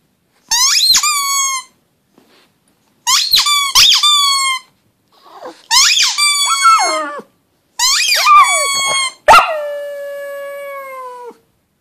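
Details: Pug howling indoors in five drawn-out bouts of about a second each, every voice starting with a quick rising yelp and then holding a steady, high, whining tone; the last bout is longer and slides slightly downward.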